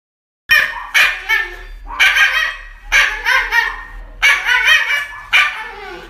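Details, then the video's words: Dog getting an injection gives loud, sharp yelping cries in bursts, one about every second, starting after a brief silence, with no other clear sounds. "Funny Dog Injection videos"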